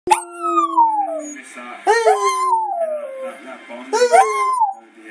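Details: Pet Border Terrier moaning and howling, described as singing: long sliding howls with rich harmonics, starting high and gliding downward, three drawn-out wails in a row with short gaps between.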